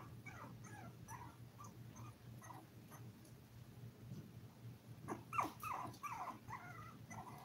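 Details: Litter of seven 5-week-old Toy Poodle puppies on a live stream, eating, playing and sleeping; short high whimpers and squeaky yips repeat rapidly, a louder cluster near the end, over a steady low electrical hum.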